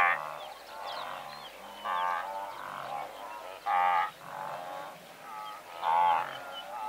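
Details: Blue wildebeest herd of several hundred, recorded at medium-close range: nasal, harmonic grunting calls from many animals overlap, with louder honks roughly every two seconds rising above a softer continuous chorus.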